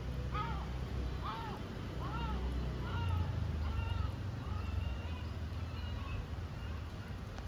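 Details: Lonely, hungry stray kitten living on the street in Istanbul, not wanting its feeder to go home: a run of about nine short arched meows, roughly two-thirds of a second apart and slowly softening, over low urban traffic rumble.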